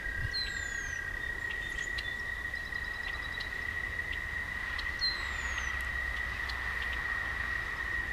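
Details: Night chorus of toads beside a walking path: one continuous, even, high-pitched trill runs the whole time, a lower trill joins briefly at the start, and a few faint descending bird whistles and chirps drift over quiet background hiss.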